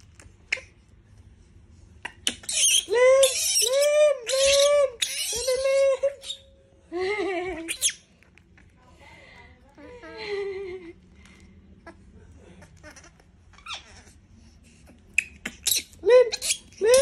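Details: Monkey disturbed until it screams: a series of loud harmonic squeals and shrieks in bursts over several seconds, then quieter squeaks and scattered noises later.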